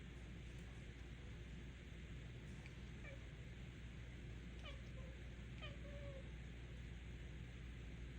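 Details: Female domestic cat playing with a new red laser pointer, making weird noises: two short, rising-then-falling chirped meows close together near the middle, the second trailing into a brief level tone, over a steady low hum.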